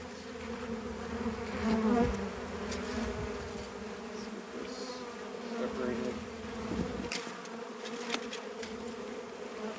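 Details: Honey bees buzz around a hive opened for harvest and expansion, with a bottom frame weighing 40 to 50 lbs being lifted; a continuous low drone that swells and fades slightly, plus scattered knocks.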